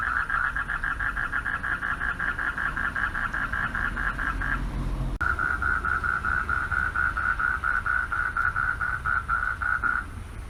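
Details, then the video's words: Male frogs calling for mates from a pond at night; a fast mid-pitched pulsed trill, a short break near five seconds, then a smoother buzzing trill until it stops, over low traffic rumble. "RELAXING SOUNDS OF FROGS AT NIGHT"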